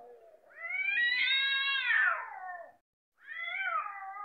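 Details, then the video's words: Cats ready to fight give a long, loud caterwaul that climbs, holds and slowly sinks over two seconds, followed after a short break by a second strained, wavering howl. "Cats are Fighting"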